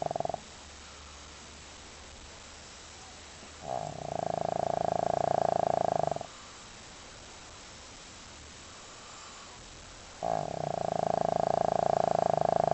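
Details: Deeply sleeping pet dog gives loud rasping snores, three drawn-out vibrating breaths each lasting a few seconds, recurring roughly every six seconds with hushed pauses between.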